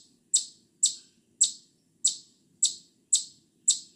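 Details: Eastern chipmunk in a steady series of seven short, piercing high chips, one roughly every half second, each a sharp onset with a quick fade; nothing else stands out.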